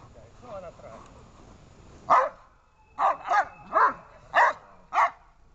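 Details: Dobermann during protection training, barking in a series of five sharp, loud barks after a quiet start with faint background sounds.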